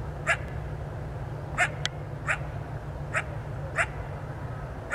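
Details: A distant coyote, roughly 200 feet or more off, heard as darkness falls. Six brief, bright yelping notes spread across the stretch, with one faint click and a constant low electronic noise floor.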